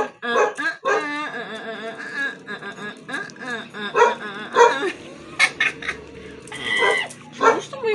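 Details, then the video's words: Siberian Husky arguing, producing loud drawn-out howling and yowling vocalizations with rich harmonics, rising and falling in pitch, broken by short sharp yips and barks in quick succession. "HUSKY ARGUING"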